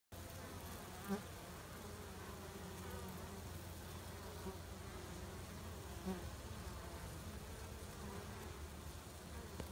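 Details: Honey bees washboarding at the front of a hive, moving back and forth a few steps as if cleaning it; a steady low hum of many bees with faint individual buzzes rising and falling.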